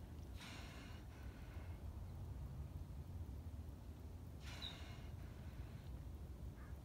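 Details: Sea lion breathing, recorded on 4 October 2018: two loud, breathy, hissing exhalations about four seconds apart, each a broad rush of air, over a steady low rumbling background.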